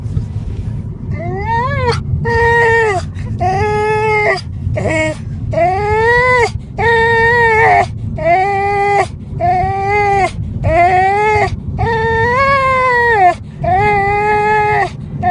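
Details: Dog crying inside a car: a series of drawn-out, nasal whining cries, each rising then falling, repeated about once a second with short breaks, over a steady low engine rumble.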